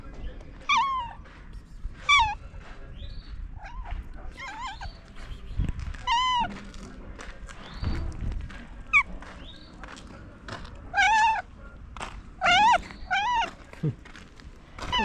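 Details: Stray cat that had been sleeping on top of a car, just woken, making strange noises outdoors: a long series of short wavering meows, some rising and falling, repeated every second or two with brief pauses.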